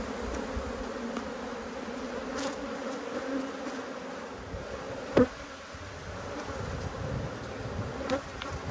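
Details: Honey bees from two hives, cross at being inspected in their hives, give off a steady droning hum in low, even tones with a few sharp knocks and clicks from the hive work.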